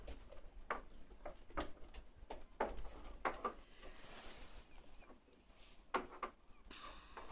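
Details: Two 9-week-old Miniature Schnauzer puppies playing with their mother on a terrace give short, sharp yips and squeaks in quick, irregular bursts.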